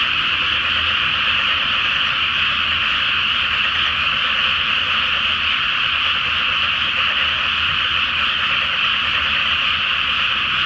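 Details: Crowd of frogs in full chorus after dark in a flooded rice field before planting, full moon above; a thick, seamless mesh of rapid croaks and trills runs on without a break.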